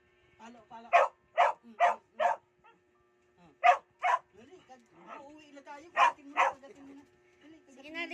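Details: Mia, an Aspin, gives a rapid string of four barks, pauses, barks twice more, then adds two further barks, while a person speaks softly in between as if conversing with her.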